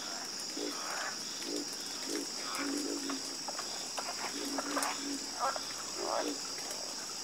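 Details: Chorus of frogs croaking, many overlapping short pulsed croaks in low and mid registers, with a steady high insect-like hiss running throughout.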